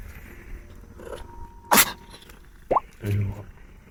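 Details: Friendly, talkative mother cat of the rescued cat Mugi, a farm cat said to purr throughout; one sharp, explosive broadband sneeze mid-clip, then a brief rising chirp-like sound and a short low rumbling burst.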